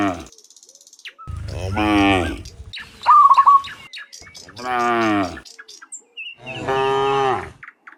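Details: Afternoon herd of dozens of cows walking home from the fields to the pen; three long, deep moos of about a second each, one brief trilled bird chirp between them, faint ticking sounds around.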